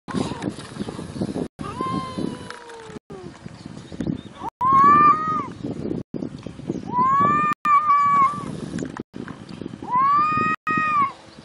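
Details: Cat giving a series of three clear, arched meows in the second half, roughly every two and a half seconds, over steady background rumble and scuffling.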